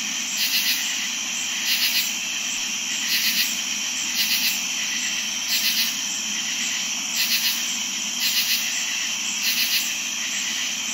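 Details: Crickets and katydids singing on a warm summer night: a steady, shrill, high-pitched cricket trill runs throughout, broken by short raspy katydid bursts about every second, with no other sounds.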